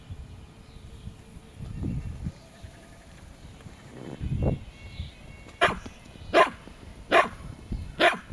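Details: Jack Russell Terriers, two dogs at home, give four short sharp barks spaced under a second apart in the second half, after a quiet start with soft rustling and a woman speaking Latvian to them.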